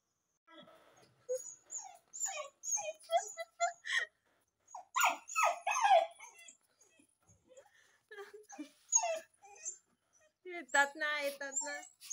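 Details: Jimmy, a pet dog, gives a string of short whimpering and whining bursts, some high and strained, with brief pauses between them and a human voice mixed in at times.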